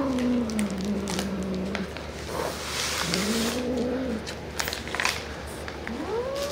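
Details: Domestic cat reacting to an edible toy, giving low, drawn-out moaning meows: a long wavering call that slowly falls, then two rising, arching wails and a final upward sweep, with handling clatter in a small indoor room.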